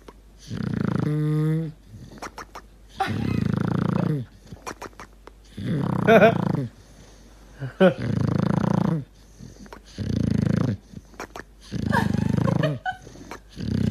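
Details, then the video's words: Dog snoring and gurgling in deep sleep: rough, low, rasping snores about every two seconds, each lasting roughly a second, with one brief wavering, tonal gurgle early on and quiet breathing between. "Собака храпит и булькает"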